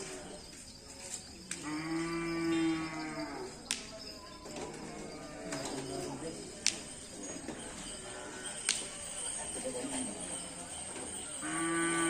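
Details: Bulls training for karapan sapi racing in Asemanis: a full moo near the start and another at the close, amid sharp cracks, clatter and background voices.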